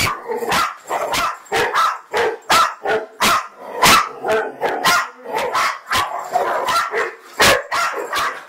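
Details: Bracco barking steadily, about one sharp bark per second, each short and punchy with a bright upper edge, continuing without pause for the whole stretch.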